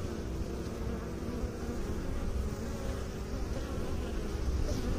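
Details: A low, constant drone from honey bees with beekeepers, the buzz growing slightly louder toward the end.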